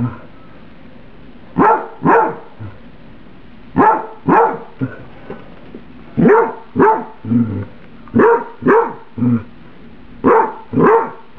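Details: Domestic dog Emily protests her too-hot microwaved spaghetti with steady barking, mostly in doubled barks roughly every second or two, punctuated by softer grunting sounds between bursts.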